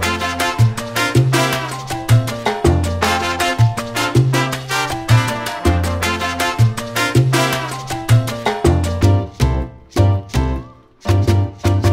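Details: Loud upbeat salsa music with brass and strong rhythmic bass, briefly dropping out near the end, with no animal sounds heard.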